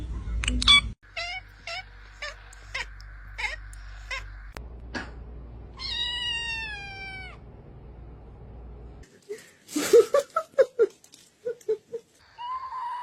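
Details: Pet cat giving one long, clear meow that falls gradually in pitch, set between rhythmic clicking beats early on and a run of short sharp pulses toward the end.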